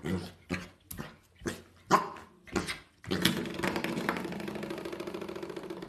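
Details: Welsh Corgi indoors playing, a series of sharp barks spaced about half a second apart, then a burst of louder mixed noise and voices filling the rest.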